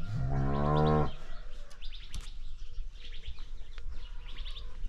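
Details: Ranch cow lets out a loud, deep, harmonic-rich moo for about a second at the start, then falls quiet while small birds chirp repeatedly over low background noise.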